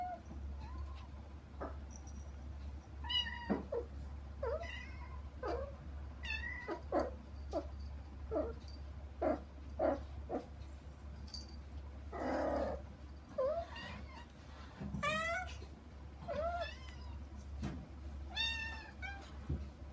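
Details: Kittens crying to get to their mother Hana, separated by a frosted glass door indoors; a long series of short, thin, high meows, some wavering, spaced irregularly, with a low background hum.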